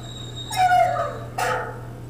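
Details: A Great Dane played back from another recording while a second Great Dane reacts: a drawn-out, slightly falling whine, then a single short harsh bark about a second later, over a steady low hum.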